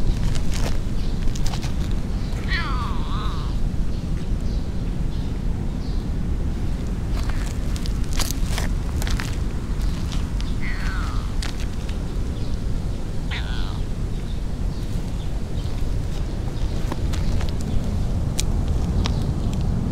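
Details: Fat, muscular black stray cat with white marks on its neck and belly, acting affectionate while petted in a city-centre park; three short, falling, chirping meows over a steady low rumble, with rustling handling noises and faint bird chirps.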